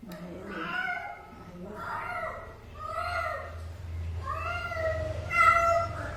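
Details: A cat gives about five drawn-out meows in a row, each arching up and then falling in pitch. They come roughly once a second, over a low steady hum.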